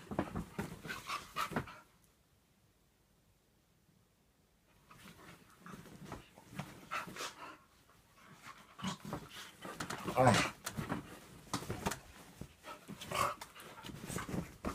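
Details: A Staffordshire Bull Terrier cross plays rough with a whippet: bursts of heavy panting and scuffling, a near-silent pause from about two to five seconds, then renewed breathy huffs peaking loudly around ten seconds.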